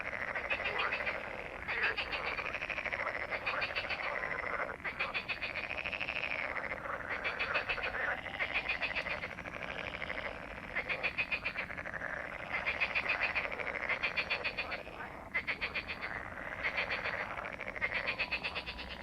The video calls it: Frogs croak/ Rechot żab/ Frösche quaken SOUND EFFECTS